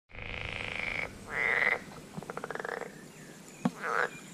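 American bullfrogs giving harsh, buzzy croaks, each lasting about a second, with a rattling pulsed burst between.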